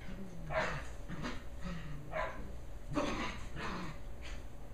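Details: Play-wrestling pair of 11.5-week-old Shetland Sheepdog puppies, Holly and Pearl, on their final evening together; a quick series of about six short rough barks and growly yips, roughly one every second, over steady hum.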